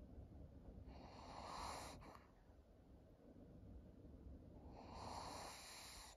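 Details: Maria, an elderly fawn female pug aged thirteen, at home in Japan in August 2023. Two long, rasping breaths about three and a half seconds apart, each swelling and fading over roughly a second, with a low background rumble.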